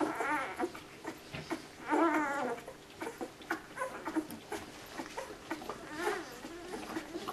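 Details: Nine puppies searching for milk, crowding to feed; wavering, crying whines rise and fall in pitch, with a long wail near two seconds and another near six, plus scattered squeaks and shuffling.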